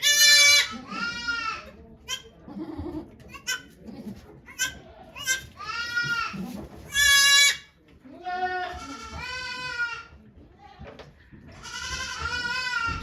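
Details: On 3 May 2023 at Yoshigake goat farm in Japan, Okayu the goat delivers two kids while volunteers watch. About eight wavering, nasal bleats come over thirteen seconds, some long and piercing, with quiet talk and rustling in between.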